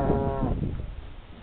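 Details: Brown Swiss cows hurrying out of a mountain hut after milking onto meadows, 20 June 2011. One short, low, resonant moo, then human speech.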